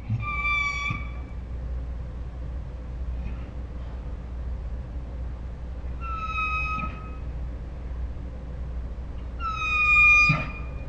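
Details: Ours, a Saint Bernard dog 'talking' with dinosaur-like sounds, gives three separate high, thin whines spaced several seconds apart, each under a second and slightly falling, the last a little louder, with low background hum between.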